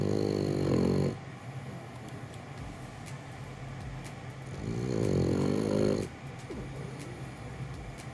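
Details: A French Bulldog in Japan, sleeping peacefully in its owner's arms, snores in long, rumbling, fluttery breaths about every five seconds.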